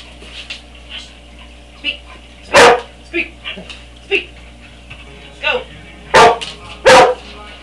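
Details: Three pet dogs, Jasper a five-year-old Catahoula leopard dog, Demon a seven-month-old Siberian Husky and Lexie a seven-month-old semi-longhaired chihuahua, playing for cheese in a kitchen; loud sharp barks burst out three times amid a man's commands to speak.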